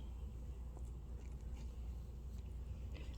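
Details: Steady low rumble like a passing vehicle, with faint scattered clicks and no animal voice.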